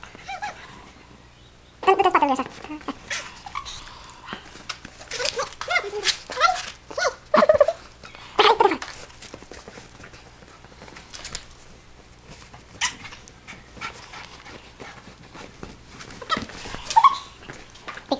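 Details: Alaskan Malamute at play in snow: a string of short, bending whines and yelps with wavy pitch, loudest in the first half, over crunching footsteps and some human voice.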